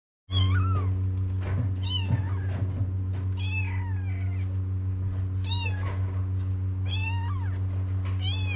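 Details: Stray kittens in Morocco cry for their mother, Mama the Cat, to come and nurse them. Thin, high, arching meows come in short bursts, some sliding downward, over a steady low electrical hum.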